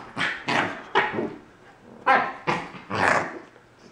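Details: Young male Corgi puppy objecting to a new collar, giving about six short, harsh barks and growly yaps in quick bursts roughly half a second apart, the last one longer and drawn out.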